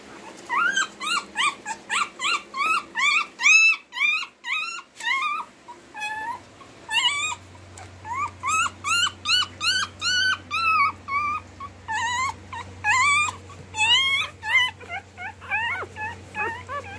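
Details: Dogs mating at home: Lexi, a tethered female Rottweiler, mounted by Dodger, a Lhasa Apso, in late July. High, bending whines and yelps come in fast runs of about two a second, broken by short pauses over a steady low hum.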